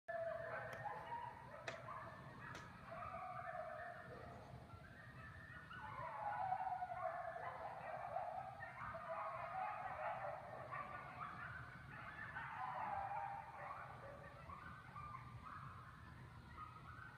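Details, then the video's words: Several coyotes howl to one another at night in an eerie, wavering chorus of overlapping yips and rising, sliding wails. "Coyotes howling in the night"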